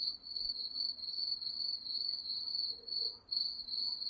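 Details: Night-time crickets in woodland give a continuous high-pitched pulsing chirr, the beats swelling and dipping slightly, with one short dip near the end and a quiet background.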